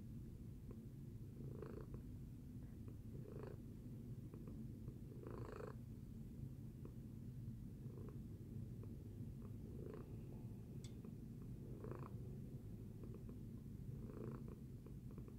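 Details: Tacy, a cat, purrs contentedly after breakfast; an unbroken low drone carries regular breath-linked pulses roughly every one and a half to two seconds, with one faint brief click partway through.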